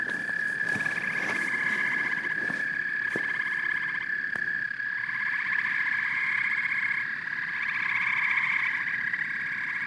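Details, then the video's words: Frogs and toads calling together in a dense chorus of croaks and chirps, a steady pulsing trill band with faster rattling bursts layered over it and a few sharp clicks near the start. "Frogs and Toads Symphony"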